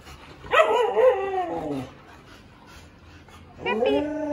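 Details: Siberian Husky treated to boiled eggs, eating them shell and all; two drawn-out harmonic whining vocalizations, the first sliding downward over about a second and a half, the second shorter after a quiet gap.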